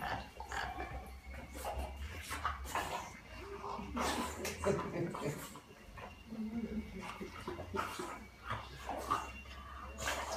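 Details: French Bulldog greeting its owner after a long time without seeing him; soft snuffling, snorts and short whines spaced irregularly, while Portuguese speech and a low steady hum continue indoors.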